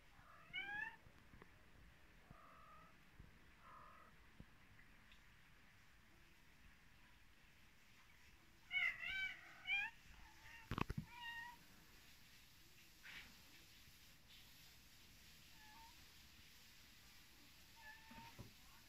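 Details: A mother cat with her kittens in Vratnik, Sarajevo: short high mewing calls in bursts, a cluster of rising-falling squeaky meows near the middle, scattered quieter mews later, with knocks and faint background noise.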